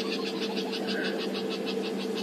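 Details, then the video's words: An unhappy squirrel, woken by a pride of lions at its doorstep, gives an alarm call on a morning safari drive at about 18 °C: rapid, evenly spaced clicking chatters, about six a second, over steady engine hum. "So that's a squirrel's alarm call."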